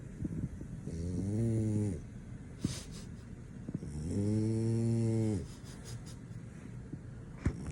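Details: French Bulldog asleep and snoring so deeply nothing wakes him; two long, low rumbling snores with stacked harmonics, each lasting about a second, separated by quieter breathing and faint room noise.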